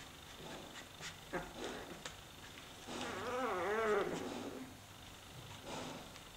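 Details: Leonberger puppy, not really hungry, doing climbing exercises while its littermates sleep; a single wavering whine of about one second rises and falls in pitch, amid soft scuffling and rustling.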